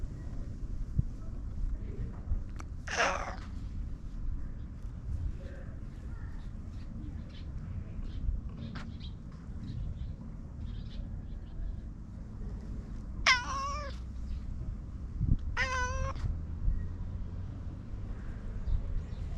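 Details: Domestic cat meowing three times over steady low background rumble: a strained, drawn-out cry near the three-second mark, then two wavering, quavering meows about ten seconds later, each sliding downward at the end, with soft faint clicks between.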